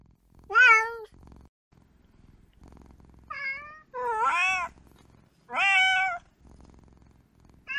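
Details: Kitten meowing in four separate calls, each a clear, harmonic-rich cry: a short steady one, then a brief higher one and two longer, wavering, slightly rising-then-falling meows, with quiet low background hum between them.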